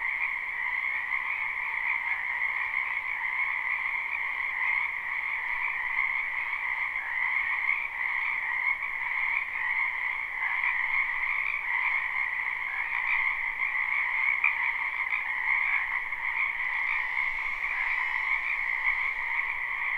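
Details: Croaking frogs fill a wetland in spring, captured live without looping: a thick, even wall of trilled calls in two pitch bands that never breaks, with faint high hiss near the end.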